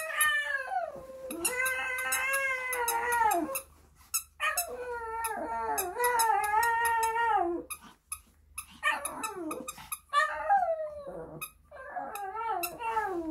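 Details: Shih Tzu puppy named Sunny singing along indoors to JYP's "I have a girl", dated 14 October 2021: long wavering howls with rising and falling pitch, held for several seconds each, broken by short breaks and clicking sounds.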